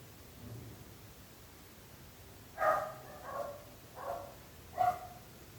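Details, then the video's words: Dog barking heard by neighbours: after a quiet start, four barks, the first and last sharp and loud, the middle two softer and drawn out, against a faint low hum. "26 minuts gossos lladrant / 26 minutes barking dogs."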